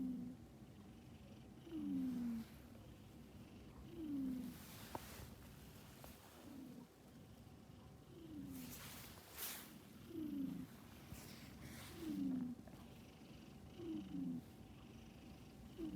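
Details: Pet cat asleep and snoring, slow falling breath sounds recurring about every two seconds, with some brief rustling and handling noises in between.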